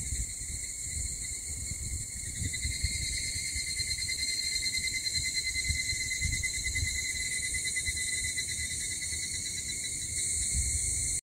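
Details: A steady, shrill chorus of cicadas drones without pause in the early morning around 04:50 on 6 August in Mihama, Fukui, Japan, with a low rumble of background noise underneath.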